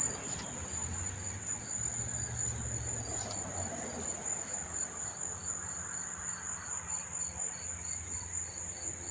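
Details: Many crickets chirping on a September 4, 2023 evening near Monmouth Park Racetrack, New Jersey: a steady high continuous trill with a second caller giving short pulsed chirps at a regular beat, plus low hum in the background.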